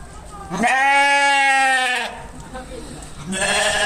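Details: Sheep bleat: a single long, harmonic, nasal-sounding cry of steady pitch, followed by quieter noise and the start of another bleat at the end.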